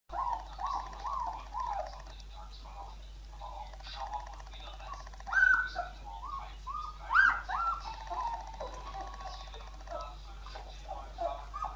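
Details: Irish Wolfhounds giving a run of high, wavering whines and short squeals, rising and falling in pitch, several overlapping voices, with a steady low hum throughout.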